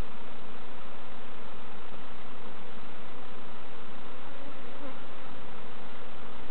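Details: Honey bees buzzing during a hive inspection by novice beekeepers at Summerwood Lane Allotments and Community Garden: a dense, steady, unbroken droning hum filling the whole clip, with no voices standing out.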